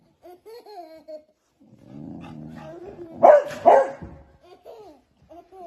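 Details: Beagle puppies playing with a baby indoors: two loud sharp barks mid-clip among soft whining yips and a baby's babbling voice.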